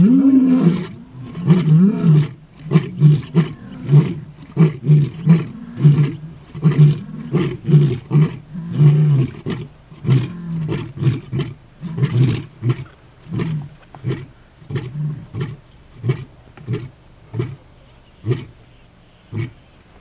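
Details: Male lion of a coalition in Kruger National Park, South Africa: one long opening moan, then a run of short deep grunts that slowly space out and fade over twenty seconds, ending in soft panting grunts.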